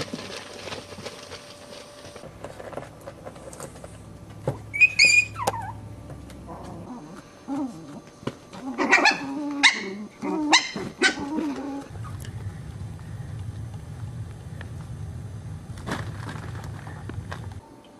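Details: Chihuahua puppies playing, jumping around an enclosure and hopping up steps, give a few high, thin yips and squeaky whines in short clustered bursts.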